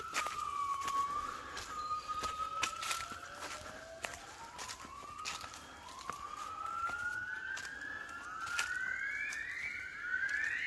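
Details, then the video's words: Gibbons in the jungle of Cat Tien, Vietnam, singing at 5 a.m. on waking, 16 January 2023: a run of clear whistled notes, each sliding upward and coming faster and higher toward the end, over sharp clicks and insect hiss. "observing & listening Gibbons"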